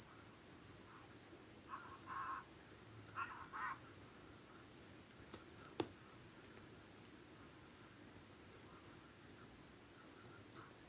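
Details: Jungle wetland crickets at the ebb season produce a steady high shrill trill, joined by short bursts of mid-pitched croaking or chirping from other animals and a sharp click midway.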